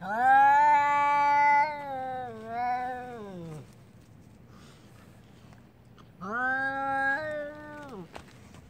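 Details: Angry domestic cat yowling before a fight: a long, wavering, strongly harmonic moan lasting about three and a half seconds, a pause of near silence, then a second drawn-out yowl of about two seconds, in a quiet room.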